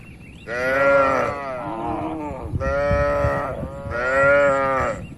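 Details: Cattle gathered in large numbers in a farm pen, calm and tame. Three long, loud, richly harmonic moos sound about every one and a half seconds, each swelling and easing off.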